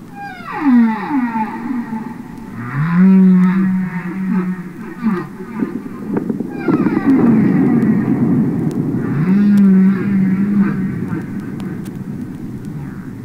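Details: Real humpback whale singing underwater, from a Capitol Records album: a descending whoop slides into deep moaning groans, then buzzy pulsed rising phrases and more low drawn-out moans, all over a rumbling backdrop.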